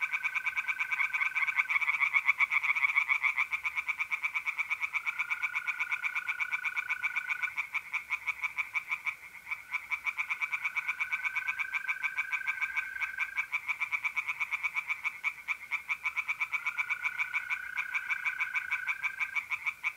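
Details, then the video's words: Dense night chorus of singing tree frogs in a pond, North-East Italy in mid-April, a nonstop rattle of rapid croaks, with mole crickets trilling in long steady stretches throughout. "relaxing singing tree frogs in pond and trilling mole crickets by night"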